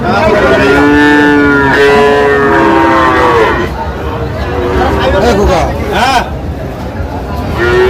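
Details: Sahiwal cattle, bull calves at a market in Chuadanga, Bangladesh, on 19 August 2025, give drawn-out, level moos lasting about a second each, several overlapping, amid steady human chatter and passing vehicle noise.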